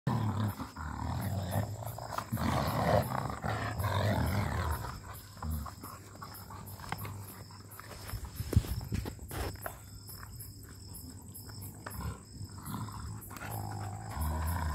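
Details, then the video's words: A male German Shepherd and a female Rottweiler growl while pulling a tyre in a tug of war; deep, rumbling growls run through the first five seconds, then ease into lower rough rumbles with scuffling and a steady high insect-like drone. "German Shepherd vs Rottweiler Growling"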